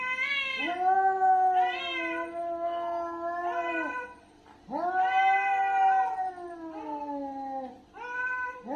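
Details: Domestic cat in an angry fight, producing long sliding caterwauls that start with a quick upward swoop and then droop gradually, two long howls plus shorter bursts, gaps of near silence between.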